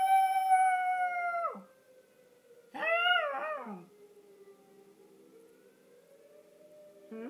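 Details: Little Yorkie Hershey howls in response to the tornado siren heard each first of the month. A long steady note drops away and a wavering, quavering howl follows. The siren's low wailing tone carries on beneath and between the howls.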